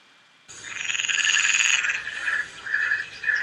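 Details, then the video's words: An adult male mountain chorus frog at a pond in spring, inflating his throat to call for a mate, gives a raspy, rapidly pulsed trill, then several shorter bursts. "And I have an audio recording of a mountain chorus frog that I would like for you to listen to, and I'm going to listen to it with you."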